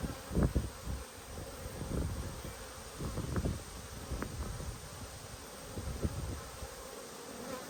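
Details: Honey bee colony buzzing as frames are inspected, 19/3/22; a dense low hum punctuated by repeated soft thumps and rustles of hive handling throughout.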